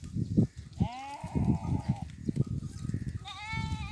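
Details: Goats and sheep grazing in fields while goats mate; a drawn-out wavering bleat followed by a shorter bright bleat near the end, with low thumping and rustling underneath.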